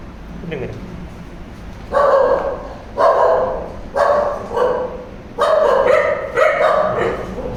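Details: An abandoned Chippiparai puppy with a broken leg, in severe pain, rescued from the street and taken to an animal hospital in Tirupur, gives six loud, harmonic barks about a second apart after a quieter stretch.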